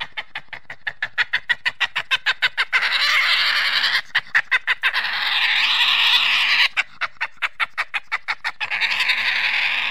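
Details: Badger alternating quick runs of sharp pulsed chattering with long, loud, harsh screeching bursts that rise and fall in pitch.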